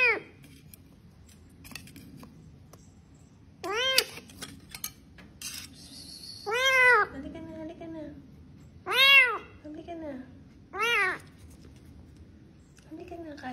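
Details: Pet cat giving a series of rising-falling meows, five loud calls spaced a couple of seconds apart, with softer trailing mews, clattering of dishes and cutlery and brief human speech nearby.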